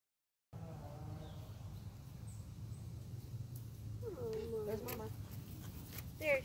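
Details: A lone fawn in a backyard cries for its mother, who later comes out of the woods. A short nasal, wavering bleat with stacked harmonics, over steady low rumble and nearby people talking quietly.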